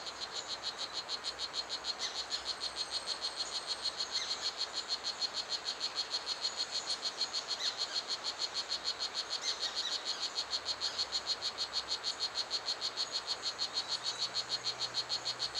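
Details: Strawberry poison dart frog, also called Blue Jeans, in Pierella Ecological Garden, described as the smallest and loudest of the garden's two poison dart frogs. It gives high, buzzy chirps in a steady rapid train, about three per second, over a faint insect hum.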